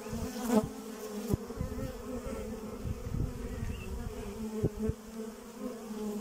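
Honey bees hum in a steady, low droning buzz, with occasional louder passes and soft knocks.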